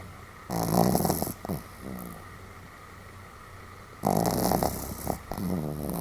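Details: Rather robust snoring from a Pomeranian called Sam, 31 July 2015: two strong raspy snores about three and a half seconds apart, each trailing into short fluttering snorts, over a constant low background hum.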